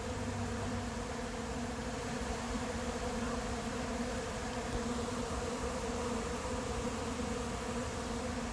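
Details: Honey bee swarm arriving late in the season, July 8th, moving into an empty, still unprepared hive; a dense, steady droning hum with layered low tones, unbroken from start to finish, no other sounds standing out.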